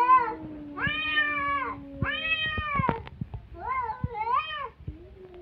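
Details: Feuding cats trade drawn-out yowls in quick succession, overlapping a low steady tone, with a few sharp taps and a wavering, bending cry toward the end.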